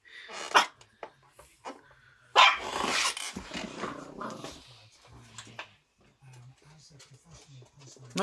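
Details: A Miniature Schnauzer puppy barks at nothing apparent, giving sharp, high barks with a person speaking between them.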